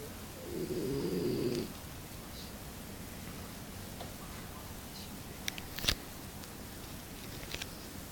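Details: A French Bulldog sleeping comfortably on a sofa gives one rough, breathy snore lasting about a second, followed by a quiet room with a few faint clicks.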